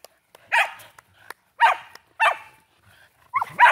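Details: Shelties at play with a new Chuck-It flying squirrel toy: four short, sharp barks spaced about half a second to a second apart, with faint clicks between.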